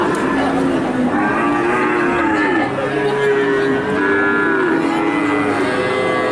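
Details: Several cattle moo at a livestock market, wavering low calls overlapping one another, set against a dense hum of crowd voices.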